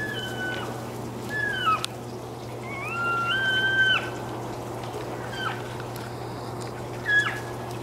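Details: Elk near a house and workshop in August 2012, one of the males bugling: a few thin, high whistled notes, some rising and held, spaced over several seconds above a steady low hum.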